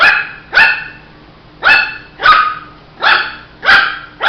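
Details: Shih Tzu puppy barks in quick succession, about seven sharp yappy barks with tonal, slightly drawn-out tails, coming in uneven pairs less than a second apart.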